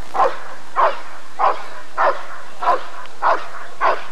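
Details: Rottweiler barking at the 1994 ADRK Körung breed survey, with seven evenly spaced, forceful barks arriving about every 0.6 seconds above a quiet, steady background.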